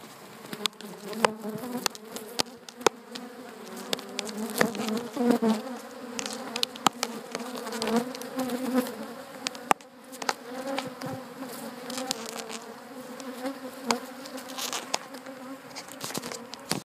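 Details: Africanized honey bees attacking a person in a protective bee suit: dense, continuous low droning buzz of many bees, rising and falling, punctuated by sharp clicks as bees strike the suit around the head and torso.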